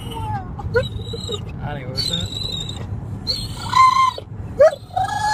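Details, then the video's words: Excited dog in a car near home, whining and screeching with high, wavering squeals that slide up and down, broken by pauses, over low engine rumble. "Dog Makes Hilarious Sounds When He Comes Home"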